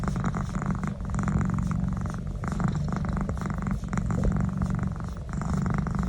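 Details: Neck massage draws a strong, rumbling purr from the domestic cat Naz, dense and steady across the whole stretch, with small pauses where breaths switch and faint rubbing sounds.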